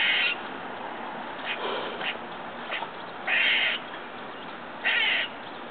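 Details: A squirrel outside a window next door, eating and making strange noises: harsh, buzzy nasal bursts about half a second long, three of them spaced irregularly, with softer clicks between and a faint background hiss.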